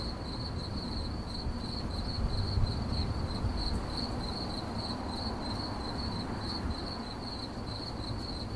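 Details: A cricket chirps without pause in 8D relaxing audio, its high, thin pulses repeating steadily at one pitch roughly two or three times a second, with a broad low hum underneath.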